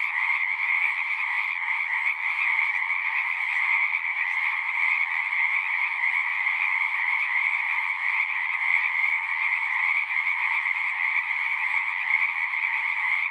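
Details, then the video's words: Singing frogs outdoors forming a thick unbroken chorus, many high trilling voices overlapping into a steady, uniform droning shimmer. "One hour of singing frogs."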